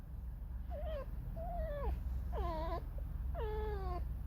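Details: Pet red fox Alice creaking and singing a sad, mournful song: four harmonic whining wails in quick succession, the first wavering, later ones sliding downward, over a constant low rumble.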